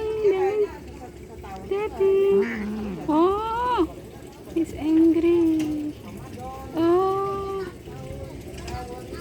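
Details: Series of domestic cat meows, some rising and some wavering, spaced irregularly across several seconds, with human voices and brief music in the background.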